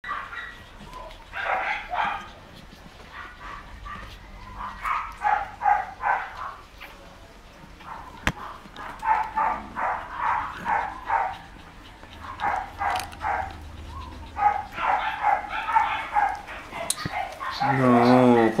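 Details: Pure white Shih Tzu puppies, 13 days old, recorded 03/25/2020. They give rapid bursts of high, thin squeaking whines, clustered in runs with short pauses between, and end on a louder drawn-out squeal.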